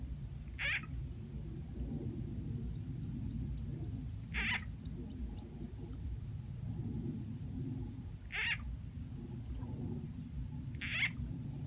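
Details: Frogs calling while being caught in the countryside of Rizal N.E., lured with a frog sound effect. Four short, sharp croaking bursts come roughly every three to four seconds above a continuous low background rumble and a thin steady high tone.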